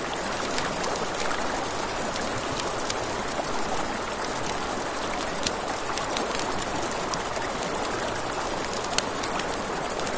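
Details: A dense, high-pitched cricket trill pulses without a break at night near a river, accompanied by frequent crackles and pops from a campfire and a constant wash of flowing water.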